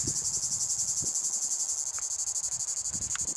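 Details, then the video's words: One of the season's last Tibicen plebejus cicadas sings from a pine tree on 23 August 2019, a loud, high, steady buzz of rapid pulses about four a second, with faint low knocks underneath. "Una de las últimas Cicadas Tibicen Plebejus se deja todavía oir en un pino."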